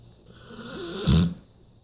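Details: Macho, a Rottweiler, lets out one loud, short, rumbling snore after a slowly rising breathy inhale, heard indoors against a faint steady hum.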